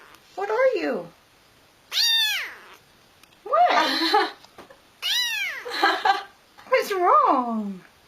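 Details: Pet cat chatting with its human: five strong, arching meows roughly every one and a half seconds, some rising then falling, some wavering, with a person's voice answering between them.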